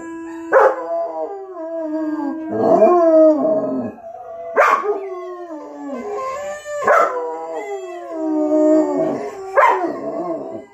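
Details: Dog howls in repeated phrases about every two seconds, each opening with a sharp yip that slides into a wavering, descending howl.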